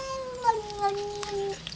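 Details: A domestic cat inside the house, upset by an outside cat, holds a low, steady moaning growl-like tone for about one and a half seconds, drifting gently downward, with small clicks and room noise.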